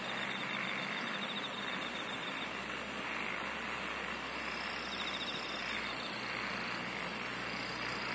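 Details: Insects singing in a relaxing nature setting: steady high chirring bands with pulsed trills recurring every second or two near the top, over a broad hiss of background noise and a low hum.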